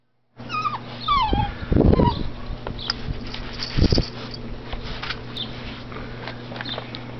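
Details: Eight-week-old Thai Ridgeback puppies at feeding time give a few high, thin whimpers that slide downward early on, followed by low thumping bursts and scuffling, with a steady low hum underneath.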